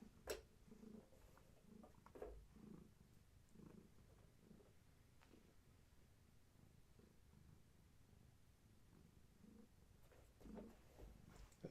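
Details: Purring from Gaia, a pregnant long-haired tabby cat kept indoors while her kittens are active: low rhythmic pulses in slow breathing cycles about every second, with a few sharp clicks and rustles.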